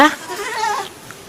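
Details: Goat eating a banana peel, giving a short wavering bleat that fades within about a second, with faint voices nearby.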